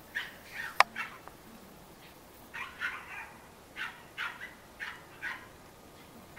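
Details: ,Cairn Terrier puppies at a breeding kennel in Escaudes, France, giving short high yelping calls in scattered bursts, one sharp click near the start, with faint hiss between calls.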